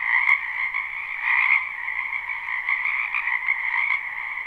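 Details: Spring wetland frogs in full chorus, recorded live without looping: a thick, unbroken wall of rapid, pulsing croaks in two bright layers. Loudness swells slightly, with a sharp tick near the start.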